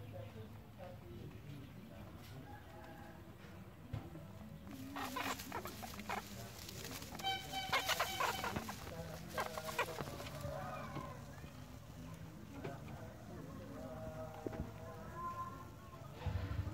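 Four-day-old rabbit kits make short, high, thin squeaks in scattered bursts, busiest in the middle stretch. Soft rustling and shuffling of bedding runs underneath, with a brief murmur of a voice.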